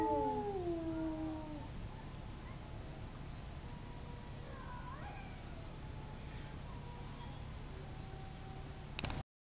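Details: Wolves in a zoo howl after hearing sirens in the distance. A clear harmonic howl slides downward and fades within two seconds. Fainter, wavering howls follow over a steady low hum, then a sharp click at the end.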